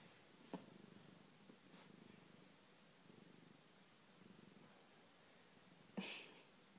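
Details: A cat on a sofa purring softly, a low, steady rumbling pulse under quiet indoor room tone, with a few brief clicks and a short higher rustle near the end.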